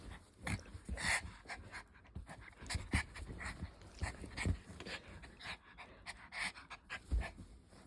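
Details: Puppy at play panting, quick rhythmic breathy huffs in irregular bursts, some louder gasps, no other clear sounds.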